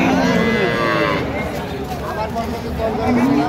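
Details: Cow with her calf at Ambari haat livestock market, Dinajpur, Bangladesh, 5 December 2025: a mid-pitched, drawn-out moo with stacked harmonics fills the first second. Bargaining voices and market crowd chatter run underneath throughout.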